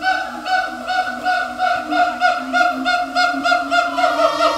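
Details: A siamang (Symphalangus syndactylus) at Taipei Zoo calls with loud, sustained hooting tones, pulsing about three times a second.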